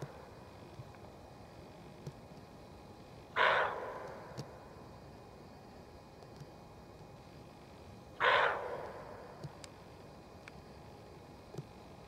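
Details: Female roe deer barking again and again in a forest, warning of danger: two rough, hoarse barks about five seconds apart, each trailing off, with faint ticks and a low steady hiss between them.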